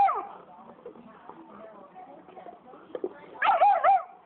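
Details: Black phase wolf hybrid, angry at a big Saint Bernard that stole its bone, gives a loud burst of wavering, warbling yowls near the end, after a soft opening cry, over quiet background chatter and shuffling.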